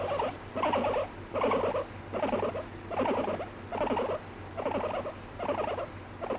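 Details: Indoor pet guinea pig, annoyed when stroking stops and said to bite; rhythmic burbling pulses repeated a bit faster than once per second, very regular, over a faint low hum.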